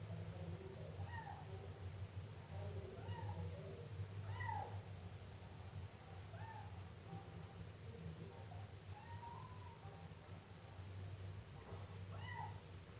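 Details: Siamese kitten giving a series of soft, short meows, some rising and falling, roughly every one to two seconds, partly buried under a steady low hum and background noise.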